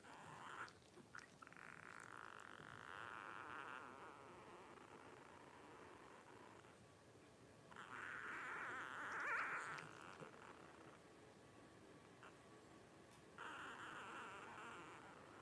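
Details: A litter of five blenheim Cavalier King Charles Spaniel puppies at 12 days old, Paris's first litter, born over New Year's 2023. Sustained, quavering whines repeat in long stretches, with brief quiet pauses and faint rustling in between.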